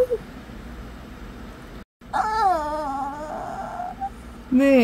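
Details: Shih Tzu puppy talking back to its owner with whines: a long, steady, nasal moan held for over a second after a short pause, then a rising whine at the end, with a woman speaking quietly before it.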